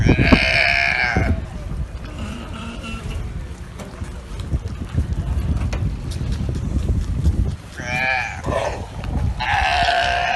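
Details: Galapagos sea lions on a barge they have taken over let out loud, hoarse, bleating belches in short bursts over a low rumble, as if holding a burping contest.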